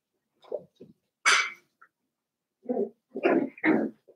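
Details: Blenheim Cavalier King Charles Spaniel puppies, a litter of five born at New Year's, in an indoor puppy pen at seven weeks old; short scattered yips and little barks, one sharp high bark, then three fuller barks close together near the end.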